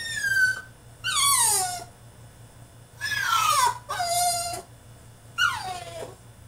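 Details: Caged French Bulldog in a tantrum, crying out in a run of five shrill, falling whines and yelps, each under a second long with bright harmonics, separated by short pauses, a faint steady hum beneath.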